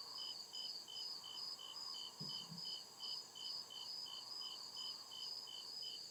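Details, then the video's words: Night chorus of crickets in deep forest, high pulsed chirps repeated evenly at roughly two and a half per second, with constant background hiss and a brief low thump midway. "CRICKET CHIRPING SOUND"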